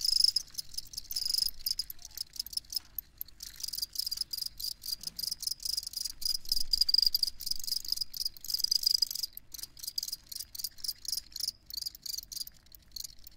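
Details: Rapid, shrill chirping from crickets, a constant pulsing chorus that swells and fades in waves, with little else audible beneath it.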